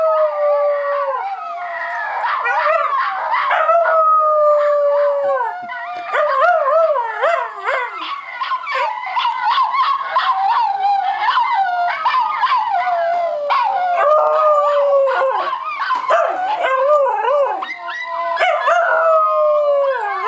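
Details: Pet Schnauzer Max howling at length: sustained falling tones alternate with rapid wavering yips and choppy, yodel-like bursts, the voice bending up and down almost without pause.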